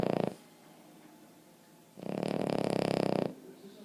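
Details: Boston Terrier Emma Mae asleep and snoring; a brief snore fades into quiet breathing, followed by a long, coarse, vibrating snore of over a second.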